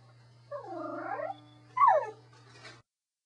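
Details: A pet Corgi utters a short, arching whine followed by a quick falling yelp, a brief talkative vocal burst over a faint low hum.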